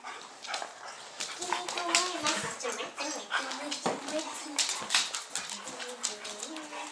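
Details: Twelve-week-old, 30-pound golden retriever/German Shepherd mix puppy in foster care in Troy, Illinois, playing with his pals: short yelping whines and growly bursts over busy scuffling clicks, with voices in the background.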